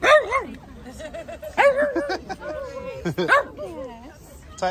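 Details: Cairn Terrier at an outdoor charity dog walk supporting Pumpkins charity, among other dogs: loud, sharp, ringing barks in short bursts near the start, middle and three seconds in, with people chatting and laughing between them.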